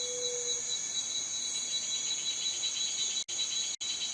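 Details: Shrill cicada drone, high and metallic with a faint pulsing texture, interrupted by two brief cut-outs near the end before it resumes at the same pitch.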